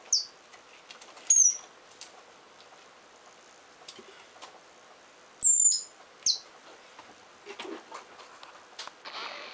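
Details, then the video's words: Richardson's ground squirrels digging and fighting; several shrill, brief high whistles and chirps, some sliding downward, scattered irregularly among scratchy digging noises and a final hiss of rustling. "穴掘りをしながらケンカするジリス＜Richardson's ground squirrel＞"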